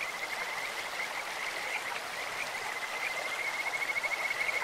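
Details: Kajika frogs calling in a clear mountain stream, a voice likened to a bird or insect: thin, high, steady-pitched pulsed trills build toward the end over a constant hiss of rushing water.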